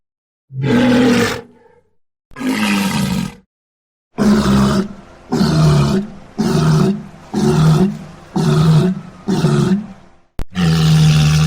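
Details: Walrus calling: loud, harsh, low roaring bellows, each about one second long, repeated eight times with short silent gaps. The later calls come in a quicker, steadier series. No other sounds.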